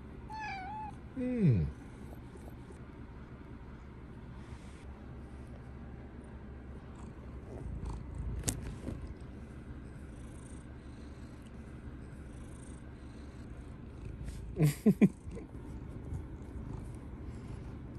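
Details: Rita, a straw-coloured tabby pet cat, seeks affection from her owner indoors before sleep; low steady purring rumble underneath, a short descending meow near the start, and a few soft knocks and rustles later.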